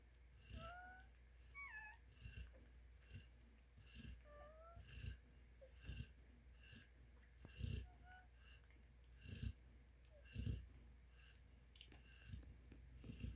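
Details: Eleven newborn Cane Corso pups, five female and six male, in the United States; brief whistle-like squeaks, some dipping or rising, come in small bursts between soft snuffling and occasional low bumps.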